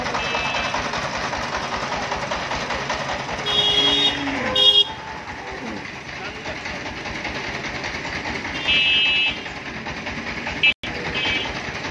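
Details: Outdoor street noise with vehicles, speech, horn toots and reversing beeps, with no animal calls audible.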